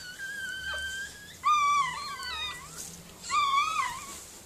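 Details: Miniature Pinscher named Mirella, indoors while giving birth to puppies; high, drawn-out whining cries with wavering tone, three separate wails sliding slightly downward, quiet room between them.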